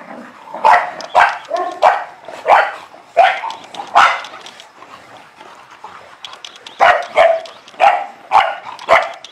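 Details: Illyrian Shepherd, an Albanian livestock guard dog breed from the Balkans, barking: loud deep barks in a run of about seven, a brief pause, then another burst of five evenly spaced barks.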